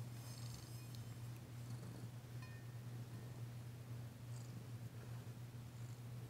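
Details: Female cat Danci purring while receiving a massage, still tentative but enjoying it, February 9, 2022; continuous low, even rumble with occasional soft rustling and light ticking sounds above it.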